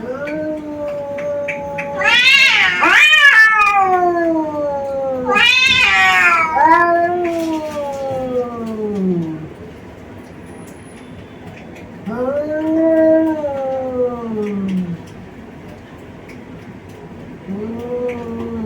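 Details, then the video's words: Two white and brown male cats, brothers from Bangladesh, in a fight: two piercing screeches open, followed by long descending moans and a fresh rising, then falling yowl after a short pause. "Cat attack sounds (meow, meow)"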